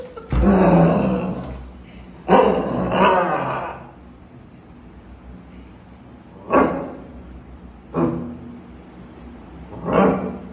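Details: Beagle puppy at play gives short, rough, growly barks in loud bursts, with one longer burst near the start and then single yaps spaced a few seconds apart. The background is quiet between the bursts.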